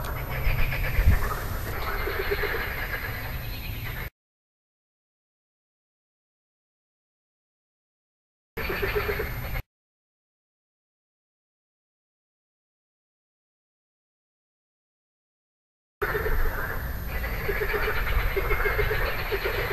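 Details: Marsh frog (Pelophylax ridibundus) croaking, recorded 2 June 2013: fast, rattling pulsed croaks about four per second, heard in bursts separated by long silent gaps.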